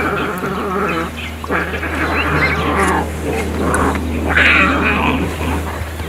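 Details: Nursing lion cubs of a lioness in Mala Mala Game Reserve, Africa, squabbling with one another, scream and yowl in harsh, drawn-out cries over a steady low engine hum.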